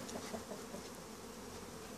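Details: Honey bees at Langstroth-Root hives on a winter cleansing flight. A continuous low drone of many bees is heard, with a few passing higher buzzes of individual bees flying close by.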